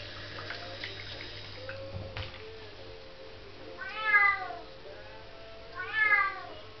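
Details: A young female Bengal cat gives two drawn-out, wavering meows about two seconds apart over faint background noise.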